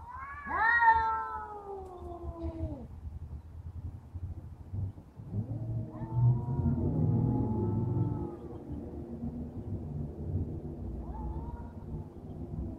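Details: Cat named Rousseau standing up to a bully cat: a long, loud wavering yowl that slides downward over two seconds, followed by lower drawn-out growling moans and a brief rising wail, with a steady low hum beneath.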